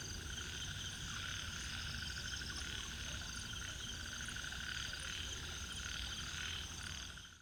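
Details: A dense chorus of ornate narrow-mouthed frogs (Microhyla ornata) at Inamauwa Tank, Dambulla, Central Province, Sri Lanka, their rapid buzzy rattles overlapping without pause.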